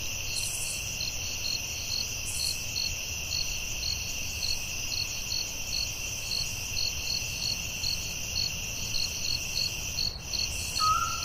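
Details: Forest crickets at night keep up an unbroken shrill trill with quick regular pulses; near the end a short whistled note from another creature cuts in briefly.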